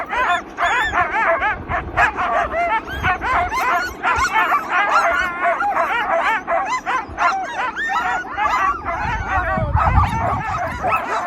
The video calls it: Sound up! 🔊🐕 Sled dogs making noise!